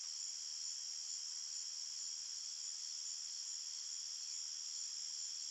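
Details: Chirping crickets at night in a calm forest, heard as an unbroken wall of high, fine trilling in several pitch layers, with no other sounds.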